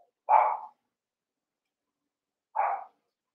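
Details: Cavalier King Charles Spaniel puppy barking while eight littermates wrestle and play in a pen: two short, bright, yappy barks about two seconds apart, the first louder, with silence in between.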